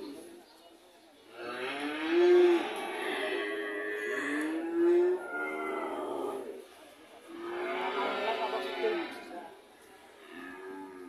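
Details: Two bouts of drawn-out lowing from a red cow, each a deep harmonic moo lasting a few seconds, with a quiet gap between them.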